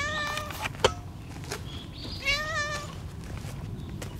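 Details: Timid, low-ranking female tuxedo cat living alongside a family of white-and-brown cats gives two drawn-out, slightly wavering, mid-pitched meows, one at the start and one near the end, with a sharp click between them and low background rumble.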